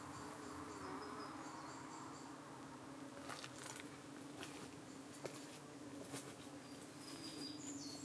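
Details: Honey bees at a UK hive on an evening, defending themselves as flies dart in to settle on their abdomens; a steady low droning hum with layered overtones, sharp clicks and brief higher whines overhead.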